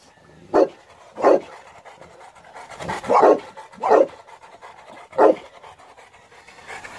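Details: South African Boerboel, a male dog, gives deep single barks spaced roughly a second apart, six in all with a longer gap after the fourth, and quiet background between them.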